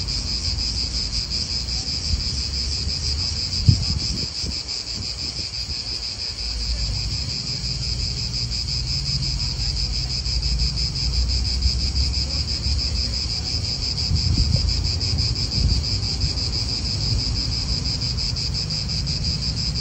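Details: Continuous shrill drone of cicadas in an Italian park, steady and high-pitched with faint rapid pulsing, while gusty wind and distant low rumbling come and go beneath.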